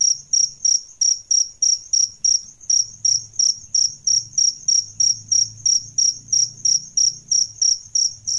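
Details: Adult male and female crickets, kept as a tutor sound for training songbirds: high, shrill pulsed chirps repeated steadily about three times a second throughout, with a faint low hum underneath.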